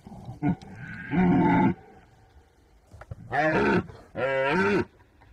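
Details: Red deer (Cervus elaphus), rutting roar: rutting call of stags.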